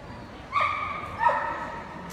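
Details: Golden Retriever giving two short, high, clear yips about three-quarters of a second apart, each tone held briefly and then dropping at the end, over a faint steady background hum.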